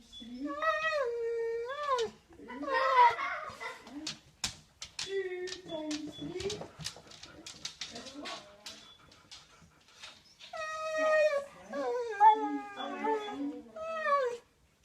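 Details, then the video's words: Siberian Husky making strange noises: drawn-out, wavering, whining tones at the start and end, with a woman's voice speaking in between. "Husky makes strange noises"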